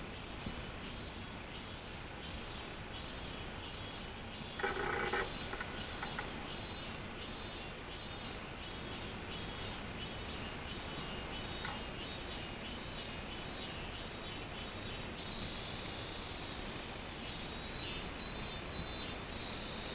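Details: Robust cicada (minminzemi) song recorded on 24 July 2016: a long run of high, pulsing buzzy notes about every half second. It stretches into a sustained drone and then resumes pulsing, with a brief broadband noise burst early on.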